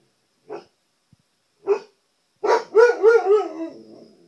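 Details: Siberian Husky at home reacting to his reflection in the TV: two short barks, then a loud wavering vocalisation with three rising and falling pitch swoops that fades into a low trailing moan.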